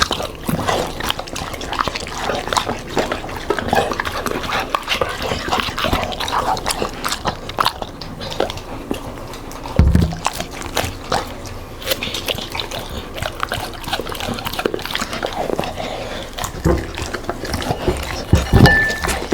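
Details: Smart Labrador Retriever and Golden Retriever eating leftover food in a kitchen; steady wet chewing, crunching and licking with dense clicky bursts throughout, a few louder thuds, no barking.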